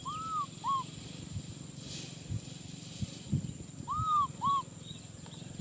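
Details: Nui Simon, a baby macaque, cries for a hug with two pairs of clear arched whistling wails, a longer note followed by a shorter one, separated by a pause of about three seconds, with soft low rustling beneath.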